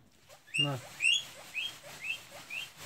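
A hungry guinea pig wheeks, giving short, high, rising squeals in a quick repeated series.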